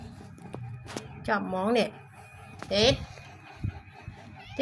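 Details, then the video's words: Black kitten in need of rescue letting out two plaintive meows about a second apart, the second higher and sharper, amid low talking voices. "Black kitten needs our help right now"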